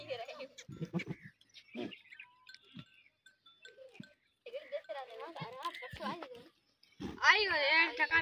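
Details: Village goats in rural Pakistan's Tharparkar climb sand dunes on a morning after overnight rain, exploring and socializing. Scattered soft calls mix with human voices, then a loud, quavering, wavering bleat closes the recording.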